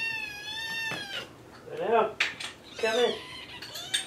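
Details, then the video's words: Morning feeding-time calls from the kittens Jugg, Anita and Ru: one long, steady, high meow, then lower wavering calls mixed with a person's voice and the clink of dishes. "Meowning Kitten Choir"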